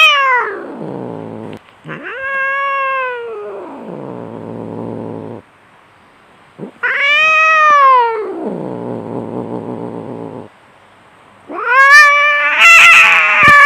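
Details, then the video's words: {'caption': 'Fighting cats yowling: long harmonic wails that rise and fall, alternating with lower growling moans, about four drawn-out calls, the last one harsh and strained.'} "SUARA KUCING BERANTEM"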